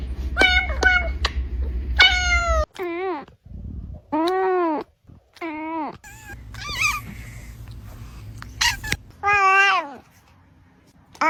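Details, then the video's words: Brown kitten meowing to attract cats: a rapid run of short, high meows, then several longer drawn-out, bending meows with pauses between them. A low hum sounds early on, and speech is faint. "Kitten meowing to attract cats"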